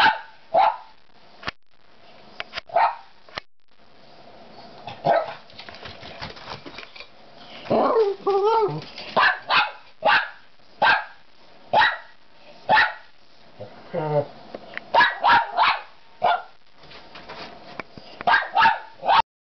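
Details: Dogs waiting for their dinner at home bark repeatedly and noisily: short, punchy barks roughly every second, mixed with a few drawn-out whining yips midway, continuing steadily for nearly twenty seconds.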